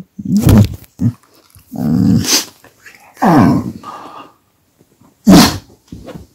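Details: Pet dog unhappy when its massage stops and the camera comes too close; low, throaty growls mixed with sharper, louder huffing bursts and handling noises indoors.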